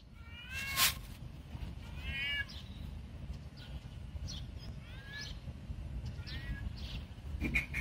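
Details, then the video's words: Male cat calling to a female cat in courtship: a series of short, wavering meows that rise then fall, with gaps between, over a steady low rumble of background noise. "Male cat asks female cat to have sex"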